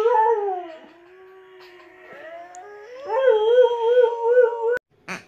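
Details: Hakyra, a female Alaskan Malamute pet, gives a howl that starts high and slides down into a soft, low moan. It then climbs back into a loud, wavering, vibrato-like howl and ends abruptly with a sharp click.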